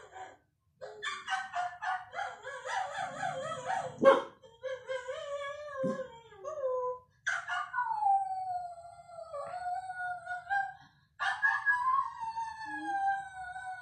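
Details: One-year-old cockapoo puppy vocalizing at dogs shown on the TV, producing long wavering howls and sliding whines, some broken into quick pulsing notes, with pauses between outbursts.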